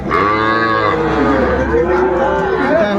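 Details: Sahiwal bull calves at Ambari cattle market in Bangladesh on 18 May 2024, with a farmer from Barishal buying: one long, sustained, low moo, richly harmonic and wavering before sliding downward, over a steady murmur of market noise.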